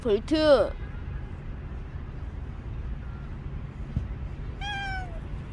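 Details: Short harsh vocal burst at the start, then a quiet pause before one clear, falling meow from Bolt, a stray cat that lingered for a year and five months.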